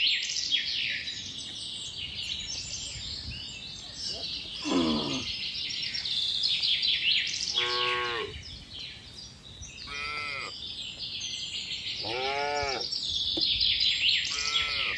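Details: Herd of tame cattle with calves running back to the farm barn during the rainy season: five separate high, curving moos scattered across the stretch, amid steady twittering birds and insect noise.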